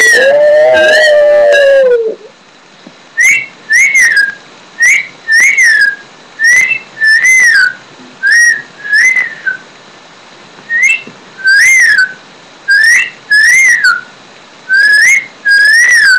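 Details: A long, lower drawn-out tone opens, then a steady series of short, bright, up-and-down howl notes from Daisy the Shih Tzu, about one every second, with brief silences between.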